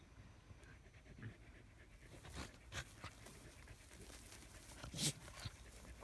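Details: Australian Shepherds lying in the shade of a willow tree pant in breathy puffs that turn louder and rougher after the first two seconds, with one sharp, bright burst near the end.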